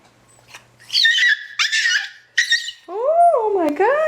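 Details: Puppy, a female, reacting to her own reflection with harsh broken whining bursts, then a long tonal whine that rises and falls twice; a person speaks soothingly afterwards.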